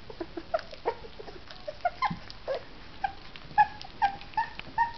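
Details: At their first meal of mush, two orphaned three-week-old female puppies whimper and squeal steadily, a rapid run of short tonal yips and whines, some rising, some falling, mixed with wet slurping.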